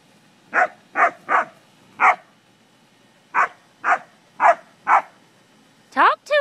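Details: English springer spaniels play with cattle, barking in steady groups of three and four. Human laughter breaks in at the end.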